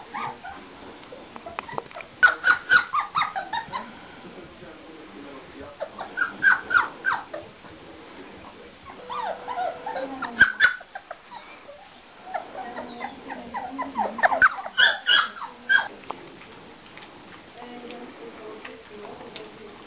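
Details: Four-week-old English Springer Spaniel puppies in a litter give bursts of high, sharp yelps and squeals in rapid runs, with pauses between the bursts and a little human speech.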